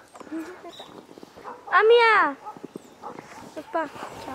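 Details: Jindo dog, Por or Ami, on a winter walk through overnight snow in the countryside: a single loud, arching whine rising then falling near the middle, with quiet human speech before and after.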